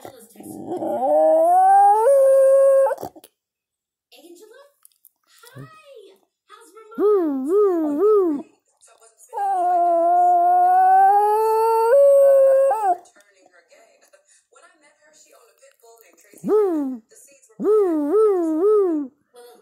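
A Basenji yodels in long rising, drawn-out tones broken by quick wavering, bouncing notes.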